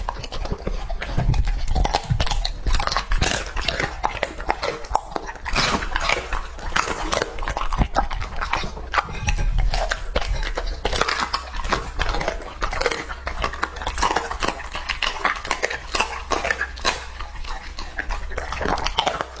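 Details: A two-and-a-half-year-old English Labrador Retriever named Lucky chews raw meat, producing steady rapid bites, crunches and wet slurping smacks over nearly twenty seconds in a small room.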